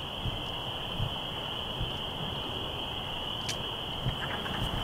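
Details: Spring peepers and wood frogs in a warm early-spring woodland at vernal pools and a creek, males calling to attract breeding females; a dense, continuous high-pitched peeping chorus forms a steady ringing band, with low rumbling and faint clicks beneath.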